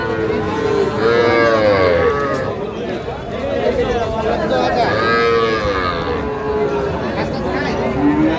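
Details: Cattle at a Pabna market, 12/5/25, where farmers buy small bull and heifer calves, Sahiwal bull calves among them. Several drawn-out, harmonic moos, each about a second long, come amid men bargaining loudly over prices.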